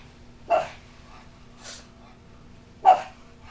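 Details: A reverse brindle Bugg (Boston Terrier–Pug mix) puppy, a female, gives two sharp, high yapping barks with a softer huff between, freaking out at a cat statue.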